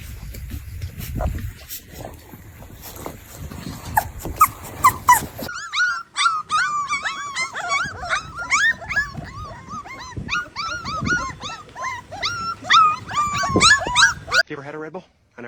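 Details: Golden Retriever puppy whining over several seconds: a rapid run of high, thin, tonal whimpers, each rising and falling, following an opening stretch of rumbling handling noise and faint voices.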